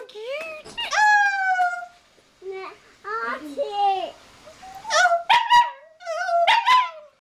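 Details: Pet Rat Terrier howling with a person: short rising howls and yelping notes in bursts, interspersed with human vocalising and speech-like sounds in a small room.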